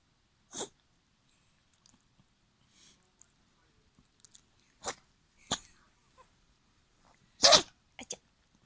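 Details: A Yorkshire Terrier named Gaku sneezing and yawning indoors: several short sharp bursts of breathy noise spread across the clip, the loudest near the end, separated by quiet gaps with faint soft rustles.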